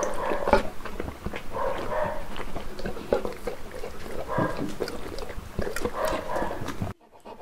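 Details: Uno, a one-year-old Saint Bernard at his first birthday, gives repeated short tonal whines and grumbles in a mid-pitched band, roughly once or twice a second. Low rumbling background fills the room throughout.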